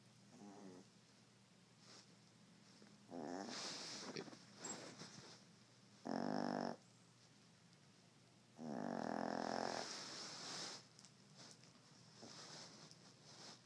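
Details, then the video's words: Sleeping poodle snoring indoors: broad, rasping bursts a second or two long, spaced irregularly every two to three seconds, with a steady low hum in the room and a person speaking afterwards. "Snoring Poodle"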